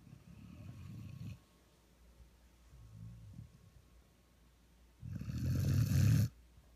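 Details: One-year-old Vizsla snoring while asleep as a lap dog, another dog lying nearby on a dog bed. Two low, rumbling snores: one about a second long at the start, a louder one after a quiet pause, lasting just over a second.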